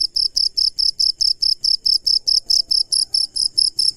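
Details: Close nighttime cricket giving a rapid series of bright, shrill chirps, about four per second in steady rhythm, each pulse crisp and ringing, against near silence.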